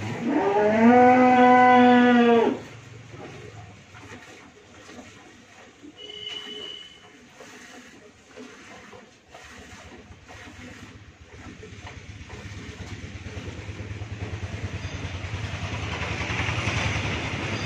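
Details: A Friesian cow, a first-calver with her heifer calf, on a dairy farm in Bhangura, Pabna, Bangladesh, gives one loud, steady, harmonic moo lasting about two seconds, followed by quiet farmyard background with faint bird chirps.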